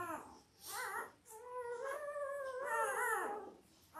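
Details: Five-day-old Labrador Retriever puppies from Belle's litter of eight, born October 15, 2023, whimpering indoors: long, thin, tonal whines that rise and fall, one drawn-out cry swelling in the middle, with short squeaks at either end.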